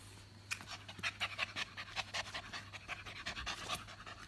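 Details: Hyper Japanese Spitz puppy panting rapidly indoors, quick breathy bursts roughly every fifth of a second with a steady low hum beneath.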